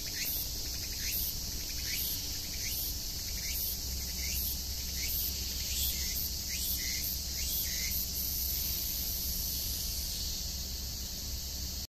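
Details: Meimuna opalifera cicada singing, a harsh steady buzz overlaid with repeated rhythmic pulses roughly every half second to second, sharp rasping strokes throughout, with constant background noise.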